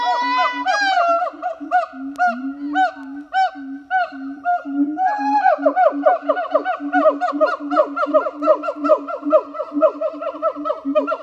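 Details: Pair of captive siamang gibbons at a zoo in France singing on a hot summer morning: loud barks and deep booms accelerate into a dense, rapid chorus of overlapping whoops and shrill calls.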